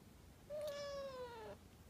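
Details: British Shorthair golden shaded cat giving a single clear, long meow that holds a steady pitch for about a second and then dips slightly at the end, over a faint background hiss.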